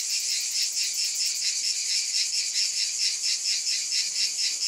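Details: Cicadas in a dense, continuous high buzzing chorus, bright and hissing, pulsing gently a little more than twice per second with no other sounds.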